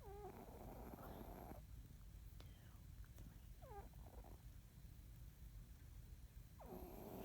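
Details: Domestic cat Rocko asleep and snoring: a gritty, rasping breath at the start, faint short squeaky sounds in the quiet middle, and another rough snore swelling at the end over a low hum.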